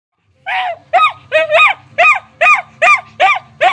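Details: Charlie, a dog whose ball is stuck under the couch, barking indoors until it is fetched for him: high, ringing barks repeated steadily about twice a second, nine in quick succession, with a low hum behind.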